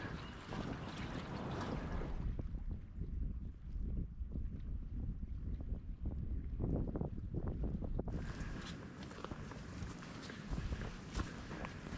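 Steady wind rumble and boat or water noise fill the recording, with no animal calls standing out.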